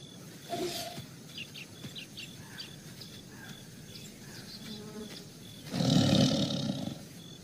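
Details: A tiger caught on CCTV in a residential society gives a single deep, rasping growl near the end, over a steady background hiss.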